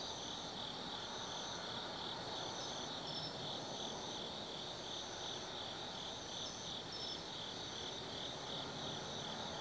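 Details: Insects calling on an autumn night at Tsukimi no Mori, Gifu, Japan, at a 180 m lookout: an even, fast-pulsed shrill chorus with intermittent higher trills, over a soft low background rumble.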